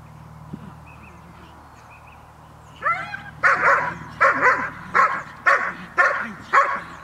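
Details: Dog named Cola of Gel.vilkas (sire Figo vom Nordteich, dam Tulpi Gel.vilkas) at a training session on 5 May 2015. Quiet low hum, then a few whiny rising yelps, then six loud, sharp barks about every 0.6 seconds.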